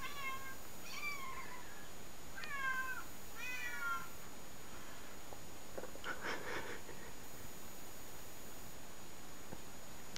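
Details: Cats meow in a recording played to a pet cat. Four or five falling, slightly wavering meows fill the first four seconds, then a brief clattering rustle follows before quiet hiss.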